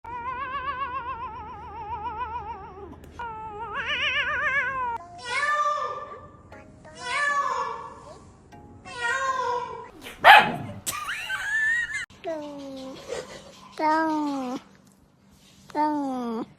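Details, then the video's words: Pet cat making strange noises: a long series of wavering, tonal meows, some drawn out and trilling, others short and bending downward, coming one after another with brief gaps over about sixteen seconds. "Cat strange noises"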